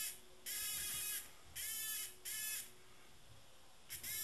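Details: Tame cicada giving three loud, harsh buzzing bursts, each roughly half a second to a second long, separated by pauses of about a second, with a ridged, rasping texture and another burst starting at the end.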